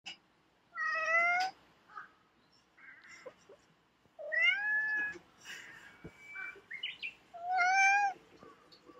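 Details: Domestic cat making talkative sounds after sniffing the spot another cat has just left; three drawn-out, rising-then-falling meows spaced a few seconds apart, with soft chirps and murmurs between them indoors.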